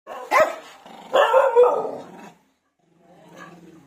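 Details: Angry American Eskimo Dog beside another dog, giving a short sharp bark, then a longer harsh double bark that trails off, and a softer, muffled grumbling bark after a brief silence indoors.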